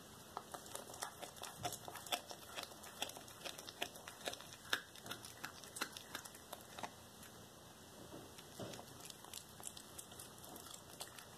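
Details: Cracker, a black tabby cat, eating a small rat whole on February 13, 2022, a raw-diet meal: dense irregular crunches and tearing clicks, quick bone-cracking snaps over a constant faint high whine.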